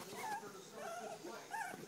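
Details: A three-week-old standard poodle puppy of the Star and Levi litter utters wavering, tonal whines in quick succession, each bending up then down, against steady background noise.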